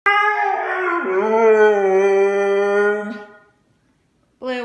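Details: Siberian Husky named Blu, indoors in a small room, being told off over his Furminator: a long sustained howl with steady rich harmonics, dipping then holding level for two seconds before fading, followed by a brief renewed cry.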